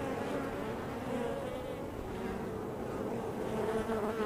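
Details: Honey bee hive entrance with a constant busy hum, overlapping wingbeat tones wavering slightly in pitch as bees move around close by.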